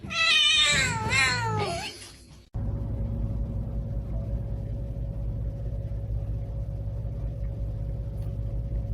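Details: Domestic cat uttering a quick run of wavering, bending meows in the first two seconds, after which only a steady low electrical hum remains.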